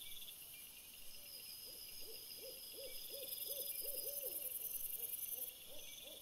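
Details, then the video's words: Trail-camera recording of a red fox after sunset, 17 April 2021: quick repeated hollow barks, each note rising then falling, about three per second and continuing almost throughout, with a constant high-pitched mechanical hiss behind. "VOLPE dopo il tramonto"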